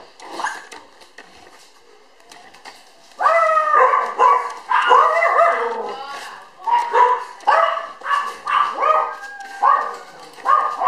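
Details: Red female Toy Poodle puppy, born May 24, filmed June 30 weighing 700 g, quiet at first, then bursts into loud harmonic yaps and whiny barks, roughly two per second, in uneven runs.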